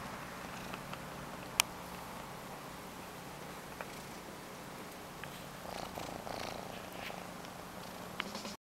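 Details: A cat purring quietly and steadily, a low continuous rumble through the whole stretch, with occasional soft clicks and a brief rustle near the end.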